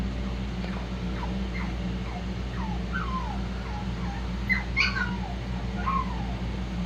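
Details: Shih-poo puppies from Xena's litter giving a string of thin, high whimpers and squeaks, mostly short downward slides, rising to a brighter cluster of yips near the end, over a steady low electrical hum.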